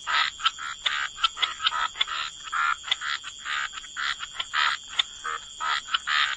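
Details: Wetland frogs in a gentle croaking chorus, short rasping croaks repeated roughly three times a second with sharp clicking notes mixed in, steady high-pitched hiss in the background.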